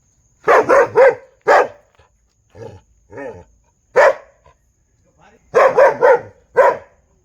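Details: Dog barking in quick bursts: a fast triple bark, a single bark, two softer lower yaps, another single bark, then a rapid run of four barks ending on one more, with short silences between.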